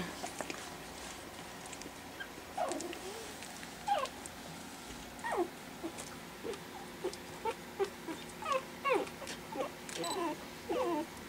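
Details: Pekingese puppies, four weeks old and four in number, learning to play after dinner; faint squeaky whines and little yips scattered through the stretch against a quiet indoor room hum.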